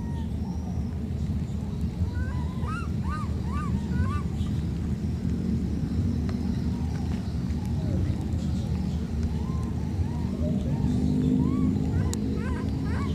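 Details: Two young wild monkeys, separated in a flood, calling back and forth with bright arched squeals clustered near the start, then sparse softer cries. A loud continuous low roar, likely water or engine, lies underneath.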